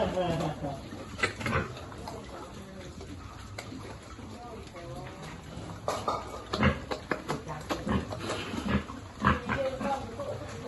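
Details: Piglet at feeding time on a pig farm, uttering repeated rough grunts and short squeaky notes, with people's voices in the background throughout.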